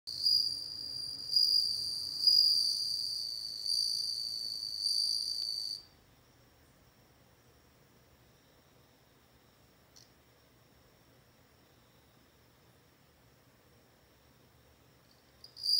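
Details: Bell cricket singing a bright, ringing high trill with stacked overtones for about six seconds, swelling and pulsing in intensity, then stopping abruptly into near silence broken only by a faint click and a brief final burst.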